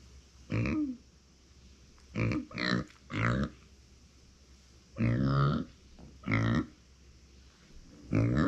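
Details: A female micro pig kept as a pet calls when left without company: irregular nasal grunts, some in quick pairs, a few with rising or falling pitch, spread across eight seconds indoors.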